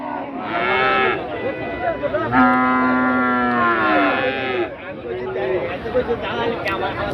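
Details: Cattle at the busy Lalmai Chandimora cattle market in Comilla, where cattle and goats are traded; one long, drawn-out moo in a steady tone follows shorter lowing calls, over a background of people talking.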